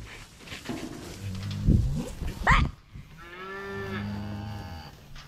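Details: Cattle being driven home; after loud clattering and shouting, a drawn-out moo with a low steady tone holds for about two seconds, fading quietly.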